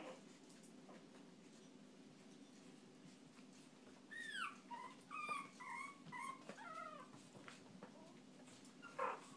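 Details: Chihuahua giving a burst of short, high yelping barks with rising and falling tones, several in quick succession across a few seconds, fairly faint over a steady low background hum, ending with one louder yap.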